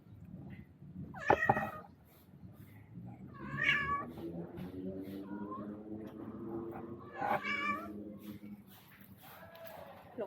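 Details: A visiting male cat that came for food and to find a mate with a spayed female cat, seeming upset, gives several short harmonic meows and a long, low, wavering moan between them, with a person talking quietly and faint background music.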